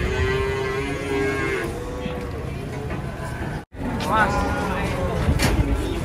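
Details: A cow coming down off a truck, described as agitated and kicking, gives a long, steady moo for about two seconds; after a brief cut, voices and music carry on with lower lowing beneath.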